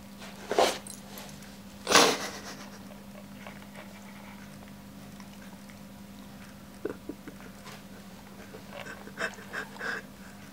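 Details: Siberian Husky named Jimmy reacting to raw herring offered for the first time indoors: two loud, abrupt, breathy snort-like bursts in quick succession near the start, then soft clicks and small mouth noises over a steady low electrical hum.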